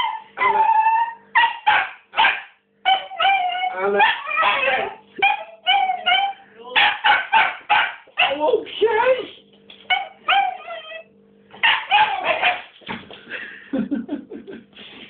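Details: Female pet dog barking to ask for her ball: sharp, rapid barks in quick runs of two to four, with short pauses between bursts, continuing steadily through the whole stretch at high excitement.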